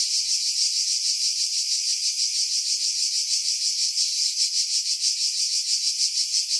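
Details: Cicadas singing in July 2018 among pines above Pefkos Bay on Skiros, Greece: continuous shrill rasping drone with rhythmic pulses roughly three per second, low frequencies filtered away to remove wind buffeting.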